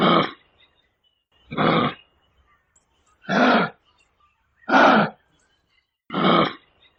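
A red kangaroo gives harsh, rasping grunts, each about half a second long, repeated roughly every second and a half.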